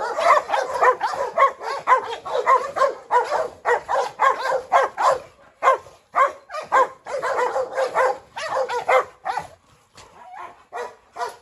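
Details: A Rottweiler named Pirate chases Presa Canario female Hu Niu in circles round a yard, a Staffordshire joining the fray. Steady rapid barking near two per second, fading into sparser, quieter barks at the end.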